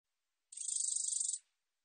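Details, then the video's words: A single high, hissing buzz from a black-edged katydid, lasting just under a second, made of fast even pulses that start abruptly and fade quickly, set against silence. "검은테베짱이, 여러번 듣기, 곤충소리"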